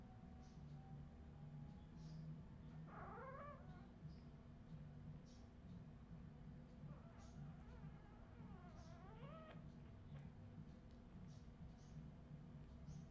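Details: Redwing Australian Terrier puppies recorded in 2018 whimpering: a quick falling squeal at three seconds, then a run of wavering, bending whines between seven and ten seconds, with a constant low background hum throughout.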